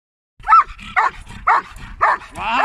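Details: A Belgian Malinois at a canine club barks sharply and repeatedly, about twice a second, during attack training, with a man's voice giving commands such as "attack" and praise.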